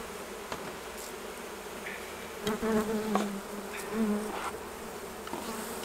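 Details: Honey bees at the hives during honey harvest, taken off for jarring; two short low buzzing passes, each under a second, between sharp clicks and knocks of hive handling.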